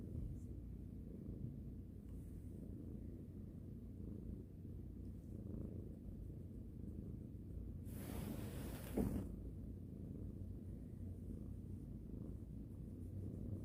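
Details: Rangi, a pet cat being stroked before going to sleep indoors, purrs in a low continuous rumble, with a brief rustle of handling midway through.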